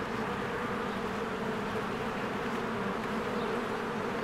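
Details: Spring scene at a honeybee hive: bees swarm in and out, producing a uniform, dense buzzing drone with a clear low hum and nothing else distinct.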